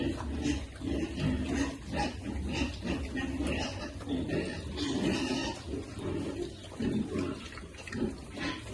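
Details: Piglets being fed on a farm, giving a steady run of short, low grunting squeals that overlap throughout, with a constant low hum beneath.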